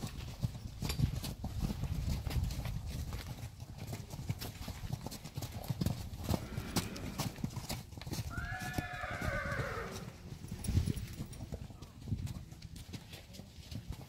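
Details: Friesian horse from a herd of pregnant mares gives a brief, wavering whinny that falls in pitch about eight seconds in, lasting under two seconds, over steady low thudding of hooves and rustling movement.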